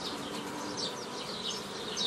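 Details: Honey bees hum during old-style nucleus colony formation from a previously gathered forager swarm, 15 May 2018: a steady, dense drone with brief, high chirp-like streaks scattered above.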